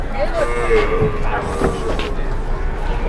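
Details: A jumbo-sized cow, struggling as it is loaded and pushed by three people, gives a brief low moo that bends up and down. Men talk and exclaim over it throughout.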